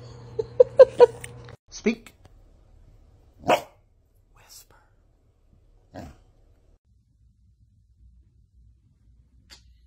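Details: Dogs caught in funny moments barking: a few short, sharp barks separated by pauses of about two seconds, with human speech at the start and quiet stretches between.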